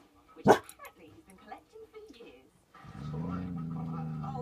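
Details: Dog growling at a deer seen for the first time through a caravan window: a low, steady, buzzing rumble fills the last second and a half, after a sharp bump and scattered human speech.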